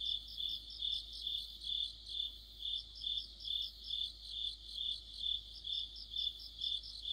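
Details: Crickets and companion insects in a deepening autumn night by a streetlamp, giving high-pitched chirps that rise and fall in steady waves, about two pulses each second, with softer overlapping trilling.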